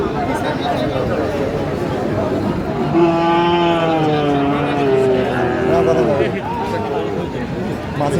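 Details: Sahiwal bulls at a cattle market in Tangail, Bangladesh, on 4 March 2025: one long, steady, harmonic-rich moo lasting about three seconds, with a slight drop at the end, rising over a constant babble of men bargaining and crowd chatter.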